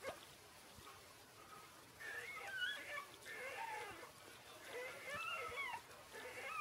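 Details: Six-day-old Shiba Inu puppies making soft, quavering squeaks and whines in overlapping clusters over a hissy background.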